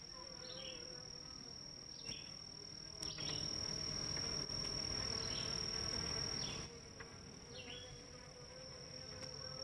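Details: Honey bees crowd the hive entrances at about 9am, July 23, 2023, in northern Kentucky, bringing pollen home. A low hum grows louder in the middle, then eases, over a steady high whine and scattered short bird chirps.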